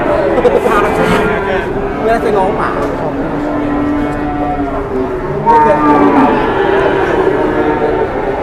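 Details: Heavy cattle, the biggest of the morning, low in steady, flat, droning moos, with a louder call near the end, over background human talk and general bustle.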